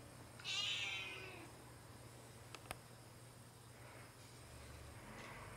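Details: Domestic cat giving a single high, drawn-out meow near the start that fades over about a second. Faint softer sounds follow over a steady hiss and a low hum.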